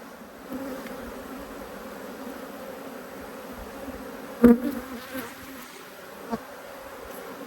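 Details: Angry honey bees defend their hive while it is opened for inspection. A continuous droning buzz sits low and even, with a sharper knock midway and a few lighter taps afterward.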